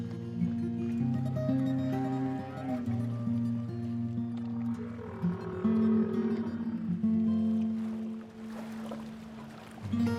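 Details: Only music plays, with sustained stepwise tones and plucked strings, and no animal voice is heard. Faint water-like noise stays in the background.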